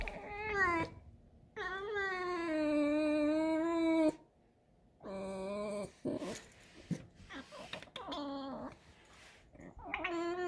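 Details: A pet fox living indoors at home, in the kitchen, gives long, high, whining squeals. Each is richly harmonic, wavering and then falling, and comes in bursts of about two seconds separated by silences. Music plays faintly in the background.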